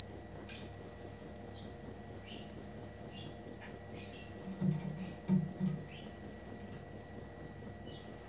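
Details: A cricket chirps in an even, rapid rhythm, piercing high pulses about twice each second, with a brief low murmur in the background midway.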